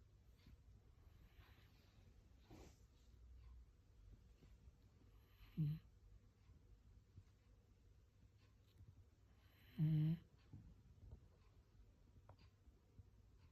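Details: Gin, a black Shiba Inu, snoring like an old man during an afternoon nap: faint irregular breaths in a quiet indoor room, broken by two louder, low, rasping snores several seconds apart.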